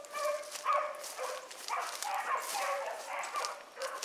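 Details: A pack of pups running a rabbit like seasoned hounds: close, excited overlapping bawls and yips, rising and falling roughly twice per second with faint rustling underneath.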